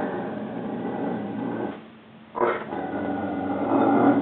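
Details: Unhappy at a crate-training time out, male Rhodesian Ridgeback Juba keeps up a continuous rough, throaty grumble, pausing briefly for breath before resuming with a sharp onset and a steady harsh moan.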